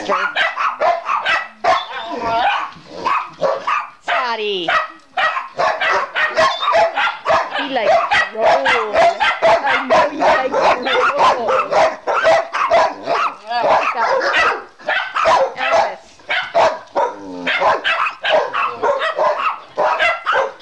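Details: Several dogs, among them Jeb, Oliver, Scotty, Elvis, Chase, Gypsy and Brittany, get loud indoors while one dries off: dense overlapping barks and yips, near constant, with a person's voice scolding between them.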